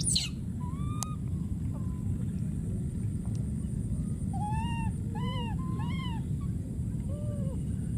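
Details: Wild monkey baby crying out for his friend: after a few scattered notes, a run of arched, plaintive tonal calls in the second half, each with a faint lower echoing note, over low rumbling noise.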